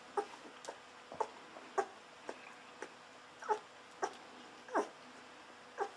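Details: Golden Retriever puppies 11 to 13 days old, litter of Aiko of Haarby and Lady Dina: short, high squeaky whimpers like guinea pig squeals, repeated about every half second to second, with quiet indoor background.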